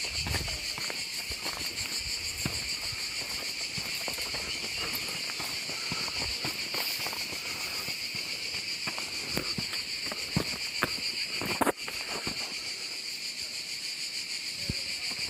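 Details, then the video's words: Continuous high, dense buzzing of cicadas fills the Gorges du Gardon in the Gard, southern France, unbroken for the whole stretch, while footsteps crunch and sharp clicks and taps sound along the walking route. "je continue. Je parle plus, je vous laisse écouter la nature et les cigales."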